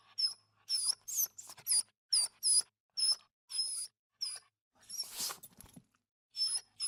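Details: Small dog whining in a steady series of shrill, squeaky whimpers, each short and slightly rising, repeated about twice a second with one breathy, noisy gasp near the end.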